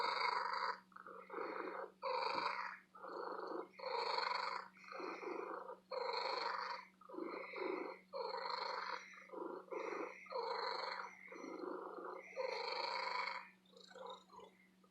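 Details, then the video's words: Female cat in an antique store purring loudly and contentedly; regular rasping bursts follow one another about every second, each breath a throbbing buzz, with a soft steady hum in the background. "My Lady Cat Purring"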